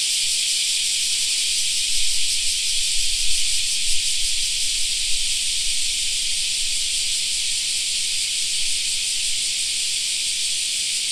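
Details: Cicadas in a summer park fill the air with an even, hissing buzz, slightly pulsing but essentially continuous, over a quiet low background.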